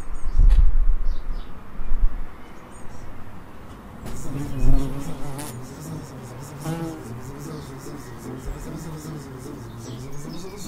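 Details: Bees in an Edinburgh suburb: a loud knock and rustle at the start, then from about four seconds a steady low wavering buzz with stacked overtones continues to the end.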